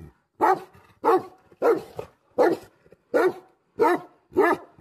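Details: Seven deep, booming barks from an angry Tibetan Mastiff, also called Bhote Kukur, spaced roughly two-thirds of a second apart, each loud and rough with a short grunting tail.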